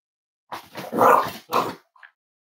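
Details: Cavalier King Charles Spaniel puppies raised indoors at home as emotional support animals, on a warm Friday morning; a short burst of yelping barks peaks in one loud central yip, followed by a second yelp and a faint squeak.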